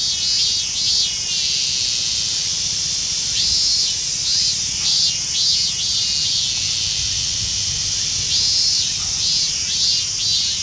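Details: Minmin cicada, including a rare emerald-green Mikado-type form, in a park in western Saitama, Japan. Short, high, buzzing pulses come in clusters every few seconds over a steady shrill background drone of cicadas.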